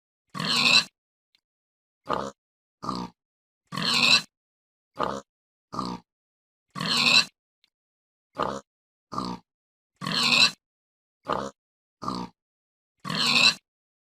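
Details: Series of pig oinks from a one-minute looped compilation: coarse, noisy grunts alternating longer and clipped bursts, about one each second, with silent gaps between and nothing else audible.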